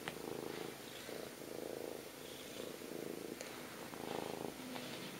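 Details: Pet cat purring during a cuddle, a low rumbling purr swelling and fading in regular breaths, close and steady against faint room hiss.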